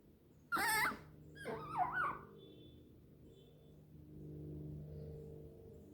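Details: Hesoten, a pet female fennec fox, makes sweet noises while jumping into her owner's arms indoors: one sharp high squeal, then a quavering warbled call that rises and falls, followed by quiet room sounds and faint music.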